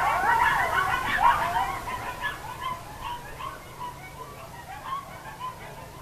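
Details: At sundown a group of coyotes gives a loud burst of overlapping high yips and wobbling sliding howls, thinning after a couple of seconds into scattered quieter yelps and whines.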